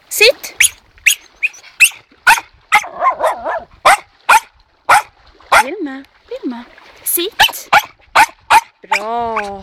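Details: Dog barking with eager anticipation over toys while being trained to stay quiet: bursts of sharp barks mixed with shorter yips and drawn-out, wavering whines, with a long tonal whine near the end.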